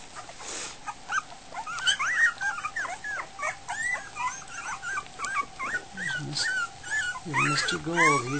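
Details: A litter of Goldendoodle puppies just over a week old at feeding time, giving rapid overlapping squeaks and whines with rising and falling pitch, a person's voice joining at the end.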